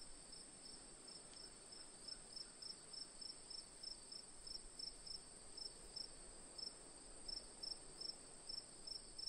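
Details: Crickets recorded as calming ambience, a constant shrill high tone overlaid with regular quick chirps, roughly three or four per second, briefly pausing near the middle, above a quiet hissing background.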